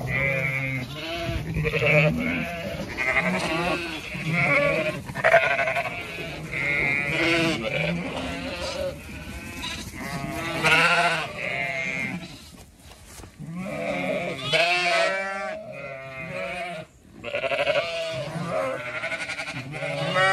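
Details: Zwartbles sheep, a flock on a regenerative farm in County Kilkenny, Ireland, walking around an orchard in bloom in the evening; overlapping harmonic bleats from many animals, some low and some high, nearly continuous.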